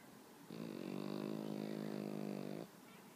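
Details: Pet Pekingese asleep on its owner in the morning, snoring peacefully: one steady, droning nasal tone held for about two seconds before stopping, in an otherwise quiet room.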